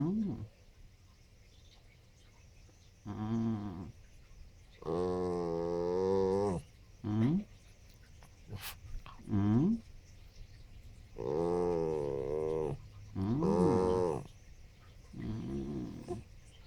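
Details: A 13-year-old Yorkiepoo gives drawn-out, wavering whines and yowls, broken by a few short yips.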